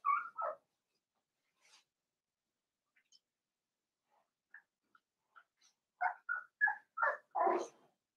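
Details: Blenheim Cavalier King Charles Spaniel puppies, seven weeks old, in a home puppy pen from a litter of five: a few faint, scattered yips early on, then a quick run of high, tonal yelps near the end.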